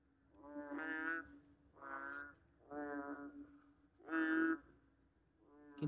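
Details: Small, big-bellied frogs in Singapore call after heavy rain with loud, deep, brassy, horn-like croaks; each a rich, nasal half-second bellow, with roughly one-second irregular gaps between callers.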